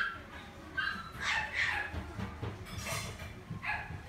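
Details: Shiba dog at a pet shop in Omihachiman, Japan, giving a series of short, high, whining yips, five or so spaced irregularly over four seconds, with faint indoor background noise.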